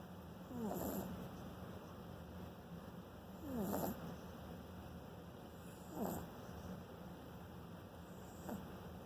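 A French Bulldog puppy snores steadily. Each breath brings a low, rough, rattling snort that rises and fades, repeating roughly every three seconds against a faint background hum.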